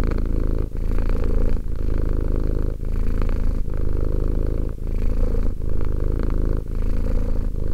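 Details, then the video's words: Two-year-old Romek keeps up a resonant, buzzing cat purr, low and constant, interrupted by short breath pauses at a near-regular pace of roughly one per second. "One hour of quality cat purring."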